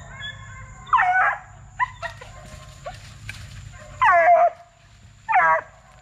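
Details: Young Plott Tan hounds, a Plott hound crossed with black and tan coonhound, aged 8 weeks to 5 months and bred from deer-tracking parents, give loud harmonic baying barks with falling pitch, spaced a few seconds apart, with faint knocks between.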